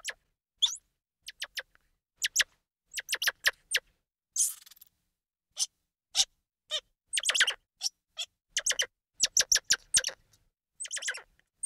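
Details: Squirrel monkey calls heard as scattered sharp, clicky high chirps, single and in quick clusters, with brief silences between them and one short buzzy burst near the middle.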